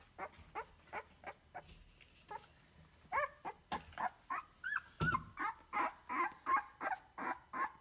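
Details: Rhodesian Ridgeback puppy making short whimpering squeaks that start soft and sparse, then grow louder and quicker into a string of rising, whining yelps about three per second.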